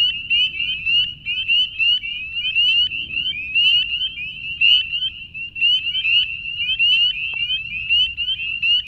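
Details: March chorus of spring peepers from the beaver pond at Banshee Reeks Nature Preserve, Leesburg, Virginia, shrill rising single-note peeps from numerous frogs forming an unbroken, pulsing wall of sound.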